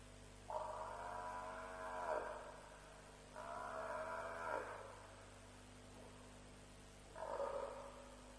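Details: At a night-time lion kill at Djuma, roughly 3:00am on 07/03/07, an African buffalo gives three long, rich, nasal bawls that bend downward at their ends, spaced about three seconds apart, with a constant electrical hum beneath.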